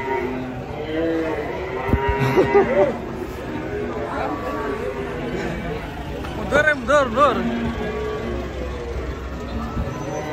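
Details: Cattle described as banteng coming down off a truck let out a long lowing moo for the first few seconds. Later, brief shouting human voices break in, with a steady rumble underneath.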